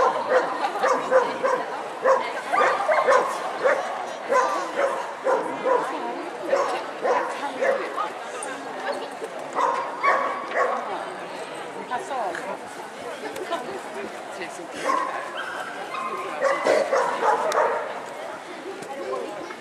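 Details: Leonberger males in the champion class at the SKK dog show in Västerås, 25 April 2010; loud, irregular deep barks come in quick bursts throughout, over steady crowd chatter and voices in an echoing show hall.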